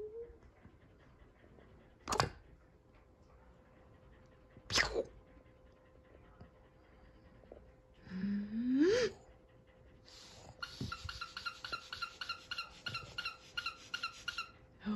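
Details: Sully, a Boston Terrier, recorded up close and barely containing his excitement while waiting for his toy to be thrown: two sharp taps, then a short rising whine, followed by quick, steady panting with clicking sounds through the final seconds.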